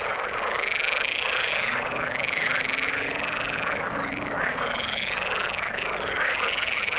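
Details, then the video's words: Frog chorus in the water: many frogs croaking at once, with rhythmic arched pulses repeating about twice a second over a constant buzzing background. "Frog sound in the water"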